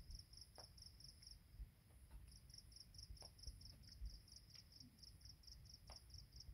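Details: Insects at dawn on a mountain trail at Penang Hill, Malaysia, chirp in fast, high-pitched pulses, steady and repeated over a low background rumble.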